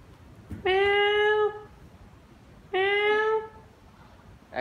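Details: Pet cat giving two long, drawn-out meows about two seconds apart, each held at a steady pitch with a rich, plaintive tone; the room is otherwise quiet between calls.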